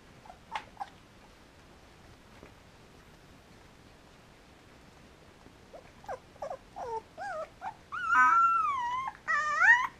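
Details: Samoyed puppies, three weeks old, with their mother Enola at a German kennel: scattered faint squeaks, then rising-falling whines build into loud, wavering, sustained cries near the end.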